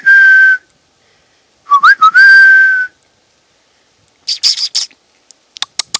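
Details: Roe deer calling in woodland near Poitiers, France, close to Futuroscope: a level nasal whistle, then a rising squeak that breaks into a longer steady whistle, followed by a brief hissing burst and a few sharp clicks.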